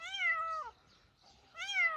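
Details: Kitten found in a rice field meowing as someone calls it to come over: two clear harmonic meows, the first long and gently falling, the second rising then falling after a short pause.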